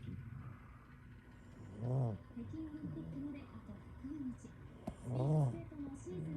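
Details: Domestic cat fast asleep inside a kotatsu as the weather turns cold, snoring: two low, rasping, droning breaths about three seconds apart, each swelling and fading, with softer murmuring sounds between them in a quiet room.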